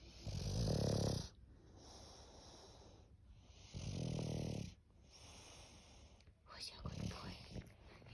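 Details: English bulldog snoring: three loud, low, rasping snores, each about a second long and roughly three seconds apart, with quieter wheezy breathing in between.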